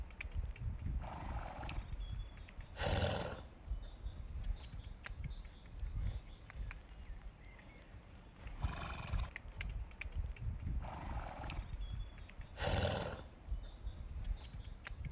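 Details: Horse sounds recurring several times: breathy, noisy bursts at about three, nine and thirteen seconds, each preceded by a softer mid-pitched call, set against a steady low-frequency outdoor rumble.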